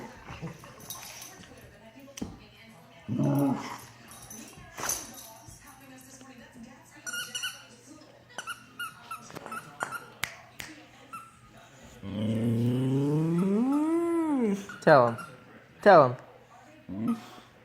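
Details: A Boxer dog gives drawn, rising and falling growling moans, "bear noises" made while playing with an Akita pup, between a person's encouraging voice.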